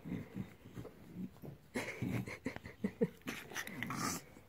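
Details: A bulldog rumbles and grumbles during a belly rub. Its rough low growls come in uneven bursts, broken by a couple of snorty, higher-pitched grunts. A person talks faintly in the background.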